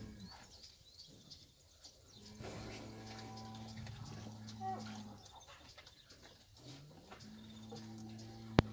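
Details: Fighting cattle, bulls and young bulls, lowing: two long, deep, steady moos, the first drawn out for over two seconds and the second rising into a sustained low tone, with a soft background hiss and a sharp click near the end.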